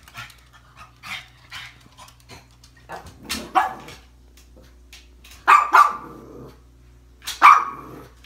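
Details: A jealous, upset pug barks at flowers on Valentine's Day: a few sharp, gruff barks spaced a second or two apart; finding: Pug.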